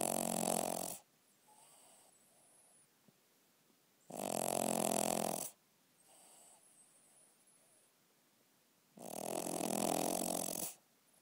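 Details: Snoring dog at night, loud rough buzzing snores lasting over a second, recurring about every four seconds, separated by faint soft exhalations in a quiet room.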